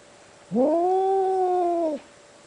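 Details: Cat's single deep, drawn-out meow lasting about one and a half seconds, rising at first and then holding a steady low wail before dropping off sharply, loud and clear over a quiet room.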